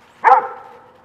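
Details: One of two dogs playing in a pile of raked autumn leaves gives a single short, sharp bark that fades quickly, with faint rustling behind it.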